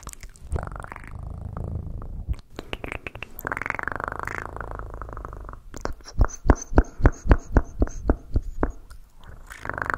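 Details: Domestic cat purring with a low, steady rumble for the first few seconds, followed by a run of sharp, evenly spaced clicks or taps; recorded close for a relaxation compilation.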